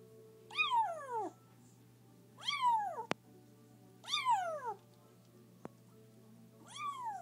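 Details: A rescued kitten on its first day, while being fed, gives loud, high crying meows that slide sharply downward every couple of seconds.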